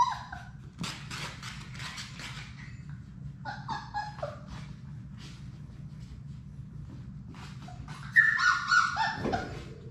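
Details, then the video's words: Six Labrador Retriever puppies at play in an indoor puppy room; brief high whimpers and yips early on, shuffling and scratching through the middle, then a louder burst of whining squeals near the end. "Labrador puppies at play!"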